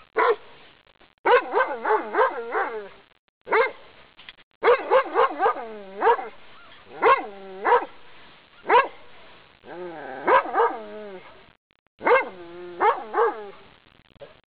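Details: A furious dog barks fiercely through a fence at a passing walker; loud harsh barks in quick clusters of three to five, separated by short pauses, with some drawn-out whining, growly barks.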